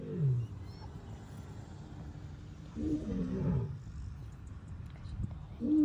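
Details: A male lion in Tanzania's Serengeti gives low, throaty roars in separate bursts, each falling in pitch and fading into a guttural grunt, with a steady low background rumble between them.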